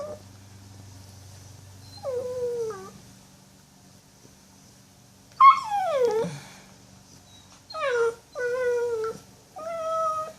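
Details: Puppy making noises before going to sleep: a series of whining whimpers, each sliding downward in pitch, some short and one long drawn-out cry, with quiet pauses between and a faint low hum behind.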